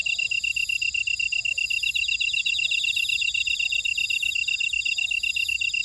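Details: A buckwheat field in Ora-dong, Jeju City, South Korea, fills with the steady high chirping of grassland insects, many overlapping rapid trills, plus soft lower chirps returning about once a second.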